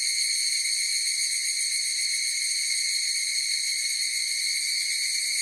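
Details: Many higurashi cicadas produce a constant metallic ringing tone with several bright overtones, level and unchanging for the whole stretch, with no other sounds.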